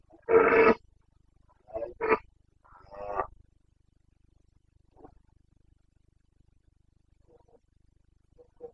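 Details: Rutting Carpathian stag in the forests of Bucovina, recorded 29 September 2022 in the breeding season: a strong opening bellow, then two shorter hoarse roars a second apart, and faint scattered calls in the quiet that follows.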